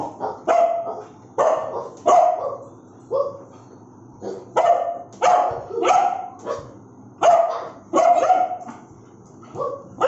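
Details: Aggressive barking from a Bullmastiff, a steady series of about a dozen loud, rough barks roughly one per second, some doubled, gruff and resonant with brief quiet gaps between them.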